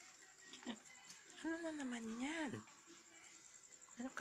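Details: Puppy, one of two young male pups filmed at home between March and April 2020, gives a single drawn-out tonal whine lasting about a second that rises, dips, then swings up again before cutting off, with a person talking nearby.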